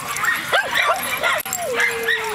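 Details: At a schnauzer get-together in the Seattle area, one Miniature Schnauzer's howl sets off a pack howl as others arrive at the gate, wavering, overlapping tones, one ending on a long falling note.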